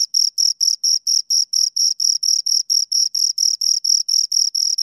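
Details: Shrill chirping from two crickets: crisp, separate high-pitched pulses repeated about four times a second at a steady pace, each with a faint ringing upper tone. Quiet background.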